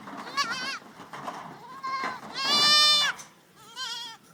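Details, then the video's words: Goats at a pen on a windy day after grazing, one mother staying back with her kid: several quavering, wavering bleats, the loudest a long high trembling cry near the middle, followed by a shorter wavering bleat. "kids playing in the goat pen"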